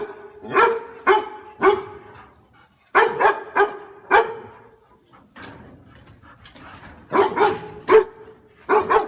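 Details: Dog barking repeatedly in quick runs of two to four harsh, tonal barks, broken by a quiet spell of low background noise before barking resumes.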